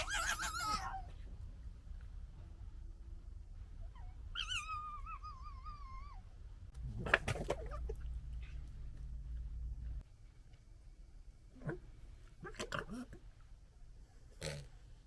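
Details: Red fox gekkering amid fighting and general disagreement, recorded in 2021: harsh broadband chattering bursts at the start, then a wavering, whining harmonic cry, followed by several short scratchy bursts over a low steady rumble.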